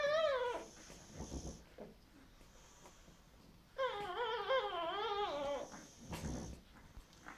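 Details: Boxer puppies at day ten of nursing: one short falling squeal opens, then a quiet stretch, then a longer wavering whine lasting about two seconds, followed by soft low scuffling.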